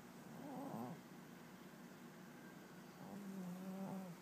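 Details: Snoring from a 21-year-old cat napping indoors, very soft: a short wavering low snore near the first second, then a steadier, slightly longer breath toward the end, separated by a quiet gap.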